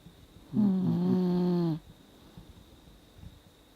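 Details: A 17-year-old Dachshund snores in deep sleep, an old dog whose snoring has grown with age: one long droning snore of about a second with a low buzzy pitch and stacked harmonics, then near silence.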